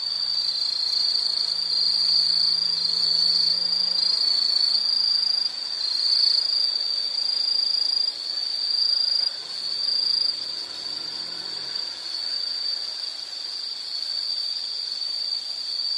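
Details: Steady high insect trilling, shrill and unbroken, with slight dips in loudness midway and a faint low hum early on.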